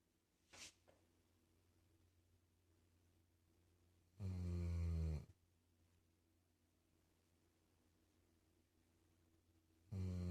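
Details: Sleeping dog gives low, rumbling snores. One long rasping breath is heard, and a second begins about six seconds later, against near silence with a small click early on.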